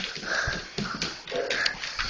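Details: A dog giving short, high, strained whimpering yelps in quick bursts, with brief pauses between them and some background room noise.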